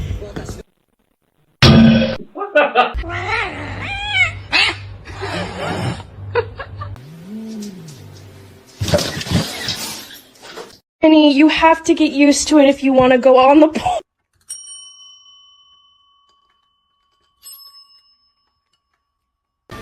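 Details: Domestic cat in a funny-cat compilation, giving drawn-out wavering yowls with strong harmonics lasting about three seconds, preceded by human speech and thumping sounds, then fading into quiet with a faint tone.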